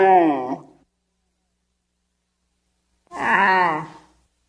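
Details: Two wavering, nasal moans from a wild Bactrian camel: a short one fading at the start, then after a long silence another groan lasting about a second, rich in stacked harmonics.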